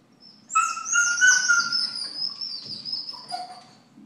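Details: Scottish Terrier, a pet male dog, gone wild over a squirrel on the neighbour's roof: a single long high whine with a wavering pitch, lasting about three seconds and then fading.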